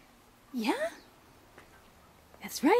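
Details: Pet cat Stanley, excited while getting ready for a walk in his pet stroller, gives two swooping meows, one early and one at the end, with a woman's voice talking to him in a small indoor room.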